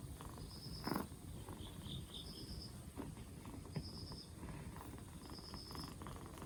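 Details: Purr of a two-month-old black Bombay kitten, rescued four days before and no longer coughing, soft and rumbling, with a couple of light knocks and a faint high chirp recurring every second or so.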